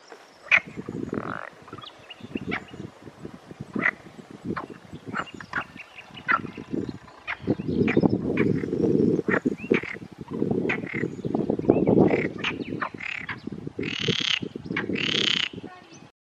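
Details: Male Perez's frogs with inflated vocal sacs chorus in a valley pond in the Montes de Toledo, Spain, on a hot May afternoon, giving rattling, pulsed croaks that overlap into a dense, continuous din.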